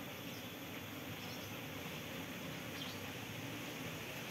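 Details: Asian honey bee (Apis cerana) colony, caught after swarming onto a durian tree and moved into a hive box, buzzing as its queen is freed after three days caged; a steady low hum with a broad hiss of background noise.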